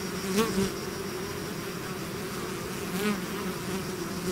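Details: Swarm of bees leaving the hive, steady layered droning with two close fly-bys where a single bee's whine swells and bends in pitch, about two and a half seconds apart.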